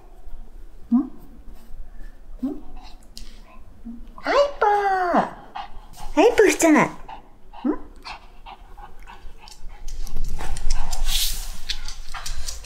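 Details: Black Shih Tzu named Jjanga, indoors in cold winter, resisting new clothes during a try-on; two long, drawn-out whining cries that rise then fall, plus short softer grumbles, over a woman's coaxing speech and rustling.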